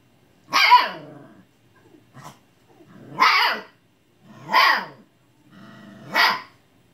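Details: Siberian Husky puppy barking at an old cat, mad that it will not play: four loud, howl-like yelping barks about every one and a half seconds, each rising then falling in a harsh, broad burst, with a faint yip between.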